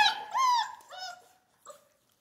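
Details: Central Asian Shepherd puppy in Michigan giving two or three tonal whines that rise then fall, fading into quiet with a faint short yelp near the end, indoors.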